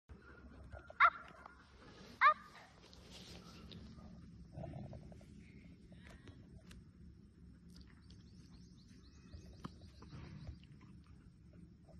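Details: German Shepherd Dog being trained by Mahendra Singh Dhoni's daughter; two sharp, loud barks close together about a second apart, then quieter rustling and faint background noise.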